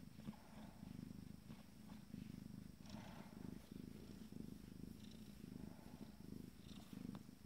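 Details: Purring from 14-day-old Abyssinian kittens of a first litter, content in a moment of pleasure: a continuous deep throbbing hum with even pulses and a faint click or two.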